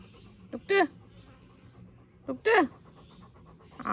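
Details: Retriever, the family's youngest, excited during play after a bath ahead of a walk; two drawn-out, bending whines about two seconds apart over quiet breathing, with another whine beginning at the end.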